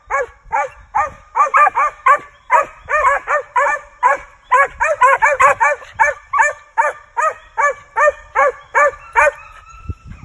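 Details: Rush, a young male Original Mountain Cur squirrel dog born 28 May 2019, in hunting training: rapid arched barks, about two or three per second, loud and steady for ten seconds, some overlapping as if from more than one dog.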